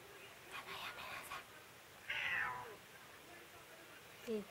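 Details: A white house cat, angry at its owner after a tabby cat it loves to chase ran away, gives a short, rough meow mid-clip and a brief low one at the end, with soft indoor sounds and a woman speaking Japanese.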